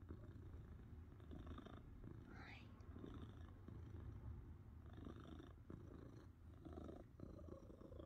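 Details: Domestic cat purring steadily as a low, continuous rumble, with a short rising squeak near two and a half seconds, likely as it yawns, in a quiet room.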